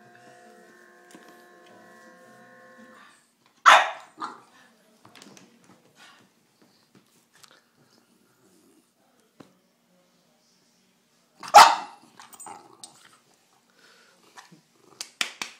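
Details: Bulldog named Cedric during rough play: two isolated sharp barks roughly eight seconds apart in a small indoor room, with a low steady hum at the start and a few light knocks between.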